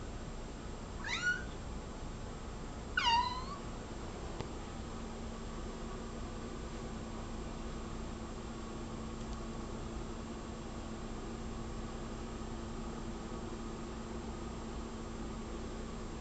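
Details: Indoor pet cat watching a bug on the wall gives two quick downward-sliding meows about two seconds apart, followed by a long stretch of quiet room hum.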